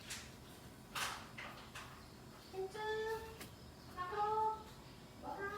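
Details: Cats being fed their evening meal at home in Thailand after a rain shower: a few quiet knocks, then three short meows, each a slightly rising and falling tone about a second apart, over low room hiss.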